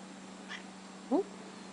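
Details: Winky (Izzi-Wink), a female rescue cat who likes to talk and be petted, gives a single short, sharp chirp that rises quickly, preceded by a faint softer sound, in a quiet indoor room with a steady low hum.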